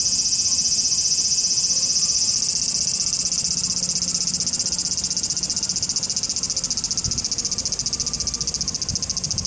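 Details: Cicadas in Japan, a loud continuous high buzzing that shifts into a rapidly pulsing drone toward the end, with steady background hiss.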